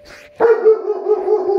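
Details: Indoors, a German Shepherd reacts to tornado sirens with a sudden, sustained mid-pitched howl. It is steady and tonal with stacked harmonics, holding for over a second after a brief soft lead-in.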